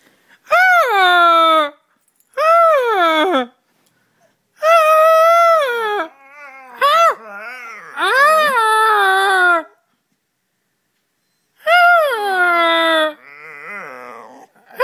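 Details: Charlie, a pet dog, imitating its owner: long wavering howl-like notes in separate bursts of one to two seconds, some rising then falling, with short gaps of silence between them.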